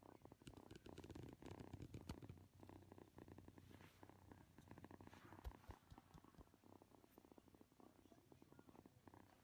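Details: Affectionate kitten kneading and purring, a continuous low pulsing rumble lasting around nine seconds, with faint soft handling noises in the background.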